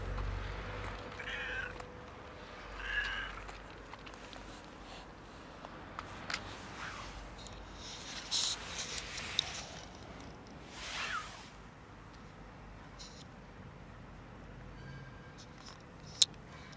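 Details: Fluffy kitten, female, that almost scratched but allowed petting; several short meows with rising harmonic bands spaced through the recording, a longer broadband cry near eleven seconds, a few sharp clicks and handling noises over a low steady background hum.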